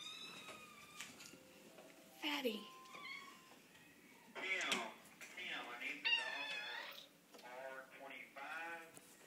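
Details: Cats at an animal shelter meowing repeatedly, a mix of short falling mews and longer wavering cries, some overlapping, with human voices murmuring in an indoor room.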